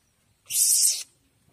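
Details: Young Asian palm civet that came into a house gives one harsh, breathy hiss lasting about half a second, with silence before and after.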